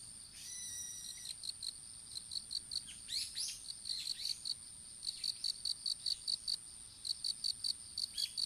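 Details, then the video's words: Field insects among newly planted open-air strawberries, captured on a fallen smartphone: steady trains of sharp, high chirps, with a few brief bird calls and twittering early on and a faint continuous high whine. "虫の鳴き声in いちご畑"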